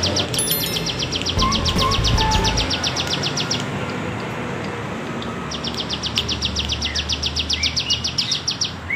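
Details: Bren cigun cicada in the undulating bergelombang style, for songbird tutoring: pulsed buzzy trains that stop for about two seconds and return, with low rumbling noise and a few soft whistled bird notes between.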